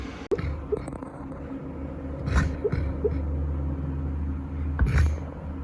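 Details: A male Golden Retriever, deep asleep and dreaming, snores with a low, steady rumble broken by a few snorting breaths, like an old grandpa.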